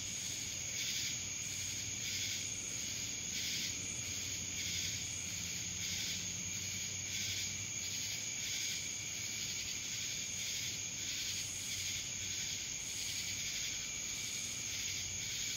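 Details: High, sustained cicada buzzing in Dallas, Georgia, rising and falling in rhythmic pulses about every second, with a quiet low-pitched hum in the background.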